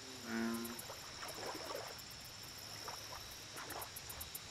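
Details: American bullfrog giving one short, deep, droning note with a buzzy, cow-like tone at the very start. The call fades into a chorus of clicking frogs and high insect trills over steady background hiss.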